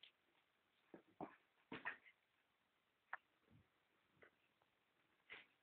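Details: Adonis, a pet dog, playing when it suits him; short, scattered whimpering yips come in about seven brief bursts over five seconds, some doubled, separated by quiet background hiss.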